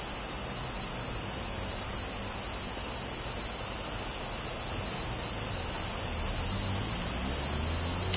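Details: Tanna japonensis cicadas in Kobe, Japan, recorded 14 August 2011 on a Zoom field recorder's front mics. The sound is an unbroken, shrill, hissing chorus, very high and steady, with a faint low rumble beneath.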